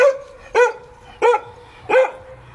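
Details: Playful Giant Schnauzer called Vito gives four loud, clipped barks at roughly half-second to two-thirds-second intervals, each bark bright and ringing briefly; Greek speech from a person nearby just before and after.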